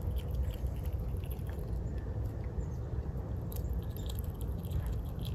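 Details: A squirrel named Hazel munching a walnut in winter, giving quick, uneven, dry crackles of gnawing in a low, quiet murmur, with a faint background hum.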